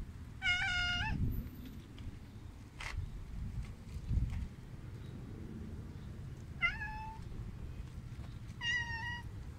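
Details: A big male tabby cat met at a bus stop by the road gives three clear, nasal meows, each under a second, the first at the start and two more about two seconds apart near the end. Low traffic rumble runs underneath.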